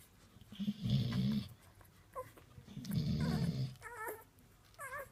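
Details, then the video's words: Deep, rumbling snores from a sleeping female Golden Retriever that has just given birth to nine puppies, which are feeding on her; two long low snores, then faint high wavering squeaks indoors. "Snoring Golden Retriever"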